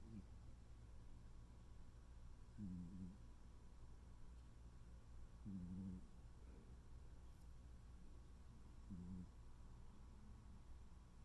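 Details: Tuxedo cat Noodle asleep and snoring softly in a small room, three brief low buzzy snores spaced about three seconds apart over steady background hum.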